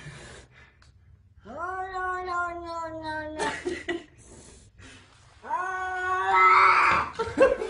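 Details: Domestic cat giving a long, drawn-out wailing yowl that holds a steady pitch for about two seconds, then a second rougher, louder yowl after a pause, with rustling and bumps indoors.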